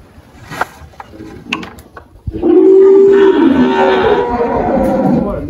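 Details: Malhada, an 18-year-old spotted Girolando dairy cow on a farm in Anápolis, Goiás, Brazil, March 2023, recently calved; after a few knocks and clatters comes one loud, long, level moo lasting about three seconds.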